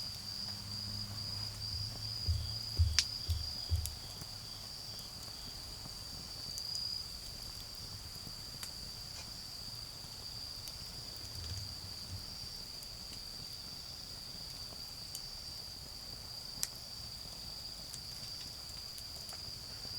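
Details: Autumn insect song around a garden bonfire: a shrill, constant ringing tone over twenty seconds, a few loud fire pops near the start, and a murmur of distant cars with a fainter lower hum.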